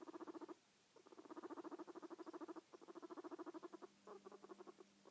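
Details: Guinea pig giving a purring noise in three to four runs of fast, buzzy pulses, each run lasting about one to one and a half seconds with brief pauses between, over a faint steady hum.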